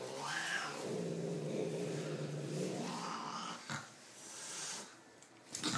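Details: House cat giving a long, low, wavering moan that swells and sags for several seconds, then quieter room noise with a few knocks.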